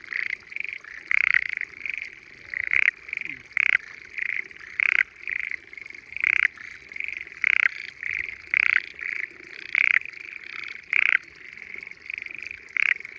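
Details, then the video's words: Frogs calling loudly while hidden in the water of quiet spring rice fields on a small mountainside in Japan; a continuous trilling chorus with louder pulsed croaking bursts every second or so, several callers overlapping. "Spring Frogs Singing in Peaceful Rice Fields"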